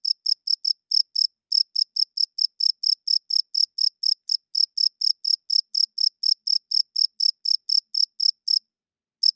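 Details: Cricket chirping loudly at night, the male's wing-rubbed call for attracting females and holding territory: short, high, pulsed chirps at an even rapid pace, a brief pause after the first second and a longer gap near the end; no other sounds.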